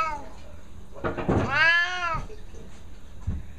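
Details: A pet Siamese cat, described as losing it, lets out one loud, long, drawn-out meow that rises and then falls, after short noisy sounds. A person's voice is heard close by indoors.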